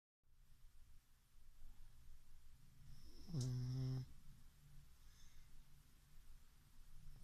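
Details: Chichifo, a pug, snoring while asleep indoors: one loud, low, rasping snore lasting under a second midway through, with a faint hiss of breathing before and after in a quiet room.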